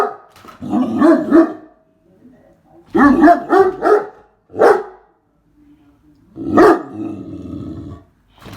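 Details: A Great Dane barks at a vacuum cleaner it hates, giving deep, gruff barks in quick clusters, some drawn out into growly woofs.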